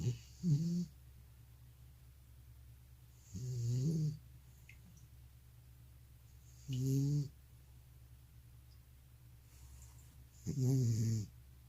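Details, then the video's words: Aged male cat with sleep apnea snoring as he sleeps: four short, gravelly snores spaced about three seconds apart, each a low rasp with a breathy hiss, with quiet gaps between. "고양이 코골이+수면무호흡증"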